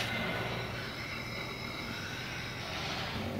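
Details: Continuous broadband rumble of passing traffic with faint thin tones; no animal calls can be picked out.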